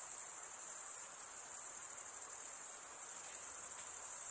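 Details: Chorus of crickets stridulating with their wings; a continuous, very high, buzzy trill runs at near-constant volume for the entire few seconds, over a quiet soft background hiss.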